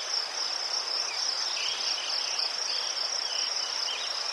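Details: Ukrainian crickets chirping in a continuous shrill chorus of fast even pulses, a few softer lower insect trills drifting in behind.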